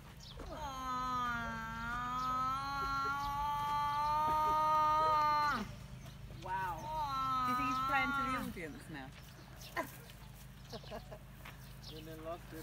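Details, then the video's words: Mother water buffalo searching for her babies at Elephant Nature Park near Chiang Mai, Thailand, giving a long, steady, drawn-out moaning cry of about five seconds, then a shorter second cry, over a low background hum. "Water Buffalo Cries for her Baby"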